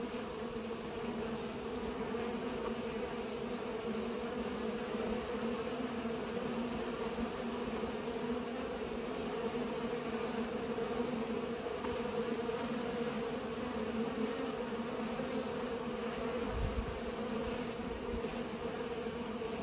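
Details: Bees pollinating, a steady many-winged buzzing drone with strong low hums that holds evenly through the clip without pause.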